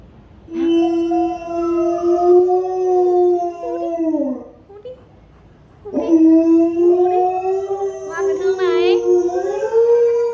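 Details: An Alaskan Malamute, encouraged by its owner to howl like a wolf, gives two long, wolf-like howls, each held for several seconds.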